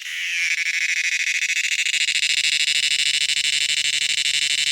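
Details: Cicada making a loud noise: a harsh, pulsing buzz that swells up within the first half second, then holds steady and shrill with a fast, rattling throb throughout.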